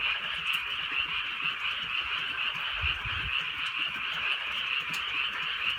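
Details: Night frog chorus from a drizzly rural setting: overlapping buzzy croaks pulse steadily about twice a second, forming a dense wall of sound, with a brief low thump near the middle and soft rain ticks.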